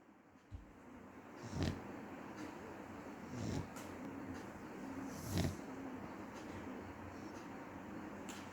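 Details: Sleeping dog snoring: low, rough rasping breaths swell about every two seconds, each a short raspy surge over a steady faint background hiss.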